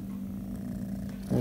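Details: Orange tabby kitten, a rescued stray and calicivirus survivor, purring while being petted in July 2020; a soft, steady low drone against background noise, with a slightly louder rumble at the very end.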